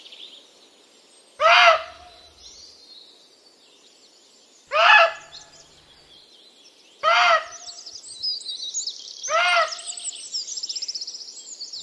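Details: A female muntjac, one of a pair eating peanuts by a badger sett at the bottom of a village garden in the British countryside, gives four loud, sharp, high ringing barks about two to three seconds apart on sensing a nearby person.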